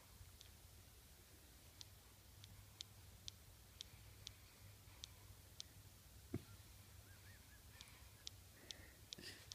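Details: Stella, a 7-week-old Weimaraner puppy, makes suckling sounds in her sleep while dreaming; soft, quiet smacking clicks repeat about every half second, with one louder knock midway and a few faint squeaky notes near the end.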